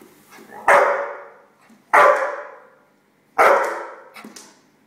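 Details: American Staffordshire Terrier, four and a half years old, giving three loud, deep single barks spaced roughly one and a half seconds apart, each sharp at onset and trailing off, with a faint extra yip after the last.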